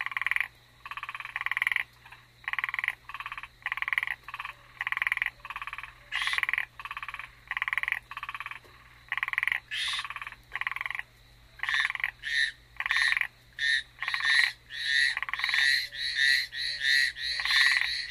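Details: Frogs on Amami Island, Japan, ornate narrow-mouthed frog and Hallowell's tree frog listed, give raspy, buzzing croaks in a steady series, speeding up into shorter notes toward the end; a brown hawk owl is also listed.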